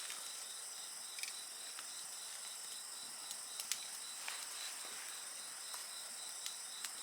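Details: Chorus of insects trilling in a fast, even pulse over a continuous high shimmer, while a bonfire snaps and crackles with scattered sharp pops.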